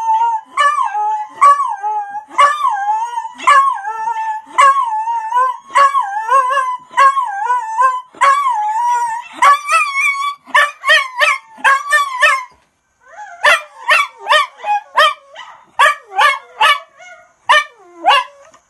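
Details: A Miniature Schnauzer joining in with schnauzers on videos howls in wavering, yodelling notes, then breaks into a run of sharp barks.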